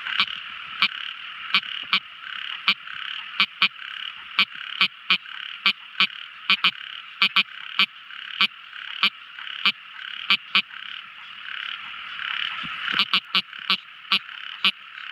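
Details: Tiny frog calling at night: crisp, loud click notes repeated roughly every half second, about thirty in fifteen seconds, briefly quickening near the end, above a continuous high buzzing chorus.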